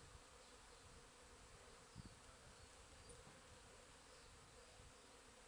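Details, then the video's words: Crowded bees working a back garden on 8 April, giving an unbroken low buzzing drone with a brief soft knock near the middle. "bees in back garden"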